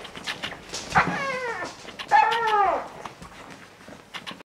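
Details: English Springer Spaniel puppies together with their mother: two drawn-out, squealing whines with bending, falling tones near the first and second seconds, over soft rustling, panting and clicking sounds.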